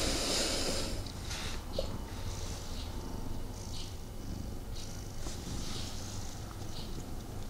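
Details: A snuggling male house cat purrs indoors with its owner, not fully settled; a steady low throbbing purr with rhythmic pulses runs throughout, overlaid by hissy rustles of fur and bedding.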